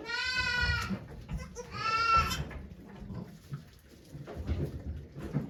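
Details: Goat named Okayu at Yoshigake Farm, giving birth to two kids on 3 May 2023 while volunteers look on; two loud, harmonic, wavering bleats, the second higher and strained, over low background rumble and faint human murmuring.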